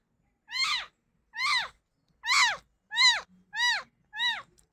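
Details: Cat crying with six high, clear meows spaced under a second apart, each arching up in pitch and then sliding down, with silence between calls.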